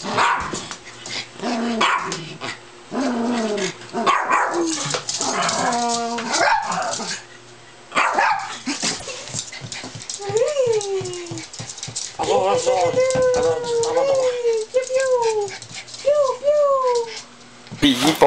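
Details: Pet dogs belonging to the owner, filmed for fun, giving a run of arched, rising-then-falling whines and howl-like yelps, several in quick succession, with short barks early on and a man's voice talking throughout the background.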